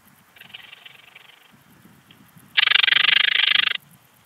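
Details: Eastern Alpine Bush-cricket (Anonconotus italoaustriacus) recorded in Heiligenblut, Austria, 4 September 2020: a faint, distant-sounding pulsed buzz, then a loud, harsh train of rapid clicks lasting just over a second, over a soft low rumble.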